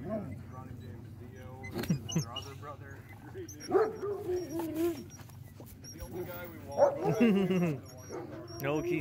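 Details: Friendly Alaskan sled dogs, kept in teams of a dozen or more, mob a newcomer in greeting; short yips and bending whines come between bursts of human talk and laughter.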